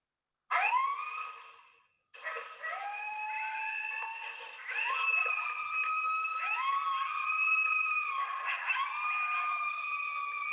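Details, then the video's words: Coyote pups practice their howling: several wavering, sliding voices overlap in a high, siren-like chorus. "here's coyote pups practicing their howling."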